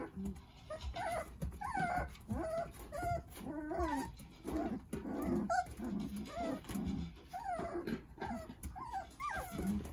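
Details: Jindo puppies, nine siblings playing in their mother Sarang's care: softer, more distant whimpers and squeaks scattered through the stretch, mixed with lower grumbling sounds and background rustle.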